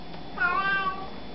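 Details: Indoor cat answering a person's hellos with one brief, bright meow, rising a little and then easing down, lasting under a second against a steady low hum.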